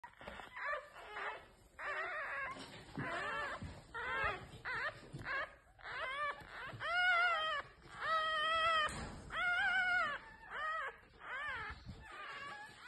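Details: Newborn domestic fox cubs, red fox type, calling indoors: repeated high whining and squealing cries with wavering harmonic tones, several overlapping voices in short bursts almost continuously, some faint music-like tones in the background.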